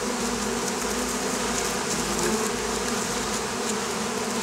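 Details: Droning hum of Oriental hornets (Vespa orientalis) in Campania, Italy, a wasp causing trouble for beekeepers; steady buzzing with faint flickering rises in the higher hiss.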